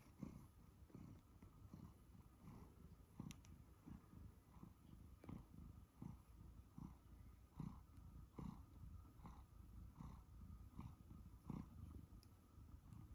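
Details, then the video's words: A one-year-old male Siberian Forest cat purrs as he is fussed, a low, rumbling, steady vibration pulsing in a relaxed rhythm. "Listen to my Siberian Forest cat purr as he is fussed"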